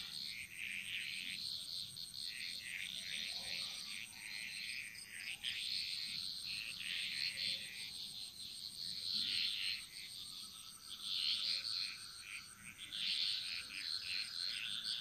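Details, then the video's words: Frogs chorusing in the jungle of Bali: a dense, continuous mass of rapid, rattling calls, swelling and fading in waves, with a steady high-pitched insect whine running underneath throughout. "Frog Mantras - Relaxing Sounds Of Bali"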